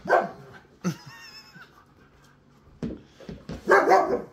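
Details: Siberian Husky during rough play indoors; a long high whining cry with wavering tones sits between short harsh barking or growling bursts, with a woman speaking nearby.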